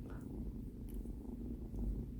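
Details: A low, steady rumbling purr from Binwoo, a female kitten settling in on her first day home. It is a continuous soft drone in a small indoor space, with faint clicks above it.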